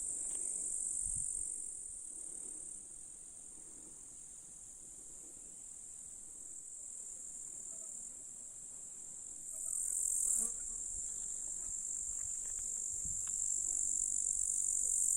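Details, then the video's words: Grasshoppers singing in July in the Russian countryside among meadow flowers, hills and a lake: a steady, very high, hissing buzz that runs unbroken throughout, swelling briefly near the tenth second, with faint low rustles beneath. "Grasshoppers in July"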